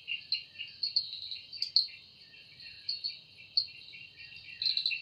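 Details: Forest cicada at evening time producing a sustained high-pitched buzz, with occasional louder chirping accents and a flurry of quick pulses near the end, nothing else prominent.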